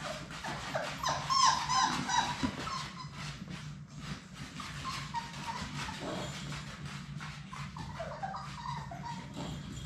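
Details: Labrador Retriever puppies, Sadie's six pups, romping in their play room: a burst of shrill squeaky whimpers early on, then fainter whines over a continuous patter of paws and tapping on the floor.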